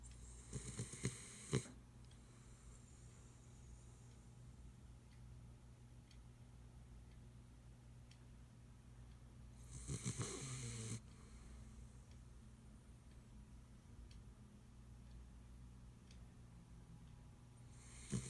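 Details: Ace, a pit bull, snoring very loudly while asleep after working all day: a steady low rumbling drone, broken by three louder, rougher, broadband snorts near the start, middle and end.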